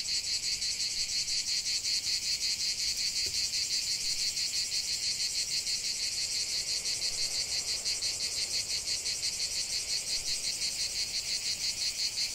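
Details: Cicada song from a lavender field: loud, high, rasping drone made of rapid even pulses, close to three per second, continuing without pause; a single faint click near the start.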